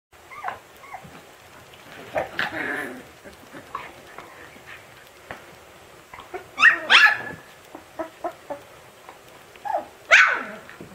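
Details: Siberian Husky puppy yelling at its siblings: scattered short yips and whimpers, then two louder, sharp, rising yelps near the end, with quieter shuffling between.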